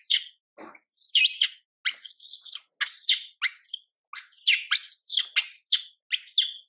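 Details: Young monkey Mila cries while ignored by her mother Milika, giving rapid shrill screams that sweep up and down, tightly packed, with one brief low thump near the start.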